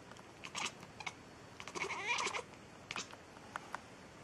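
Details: Domestic cat meowing: a few short, high clipped cries, then a longer wavering, harmonic-rich meow near the middle, followed by brief faint calls in a quiet room.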